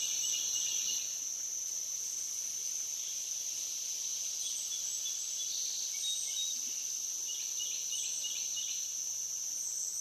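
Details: Overnight insect chorus on the Licking River in Morning View, with cicadas named, recorded from dusk to dawn: a constant high-pitched hiss-like drone, overlaid by scattered soft chirps and brief bird twitters.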